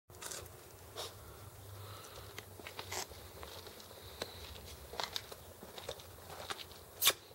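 Scattered crunching and chewing clicks over a low indoor hum, with no animal voice heard.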